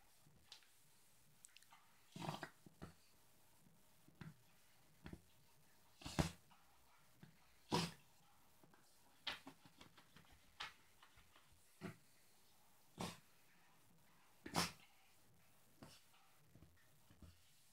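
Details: Yorkshire terrier playing indoors with his pillow in his dog bed, trying to destroy it; short broadband snorts and rustles come in scattered bursts every second or two, with quiet gaps between.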